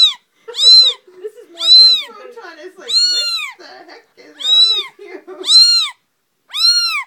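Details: Loud two-week-old female kitten protesting at cold hands: shrill, arched meows about once a second, with a person's voice murmuring in the gaps.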